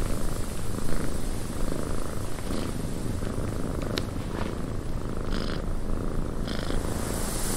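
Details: Continuous low purr of a cat sheltering in a wind-battered cabin, rumbling evenly while wind roars and a couple of sharp clicks and creaks sound.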